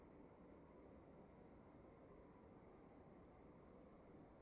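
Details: Crickets in a dark room at night trade rapid high chirps, two callers alternating at slightly different pitches, over an unbroken low hiss of room noise.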